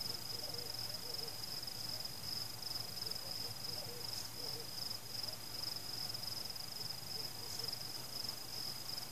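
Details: Crickets chirping at night during a fireworks celebration, with no people, pets, music or cars nearby. A steady high-pitched pulsing trill runs throughout, with soft distant fireworks booms now and then.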